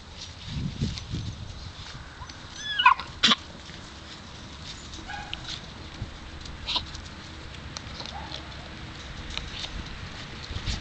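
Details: Seven-week-old Alaskan Malamute puppies from a Daphne x Deuce litter: a couple of brief, sharp, high-pitched yelps near the three-second mark, then quieter scattered squeaks over a steady background hiss with faint low rumbling.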